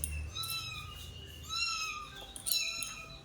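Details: A cat hiding indoors while people try to catch it after it scratched a family member; faint, flat, high mewing cries repeated at irregular intervals, with quiet room noise and low rumble.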